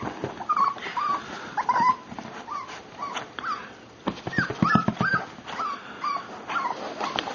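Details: Miniature Pinscher puppy named Cooper whimpering in short, high, whining notes repeated irregularly, with scattered tapping clicks and faint room noise.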